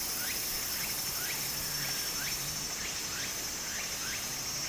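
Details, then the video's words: Cicadas singing in summer beside a small stream in Japan: a steady, high, shimmering drone runs throughout, with short rising chirps repeating about four times a second, all over the continuous rush of flowing water. "小川の流れと蝉の声 自然音 ～夏～ Japan Sound of nature Cicada's voice"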